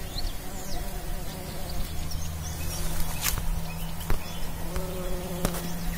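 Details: Pollinating bumblebee giving a steady, even droning buzz with a low hum, with brief sharp taps and rustling in the background.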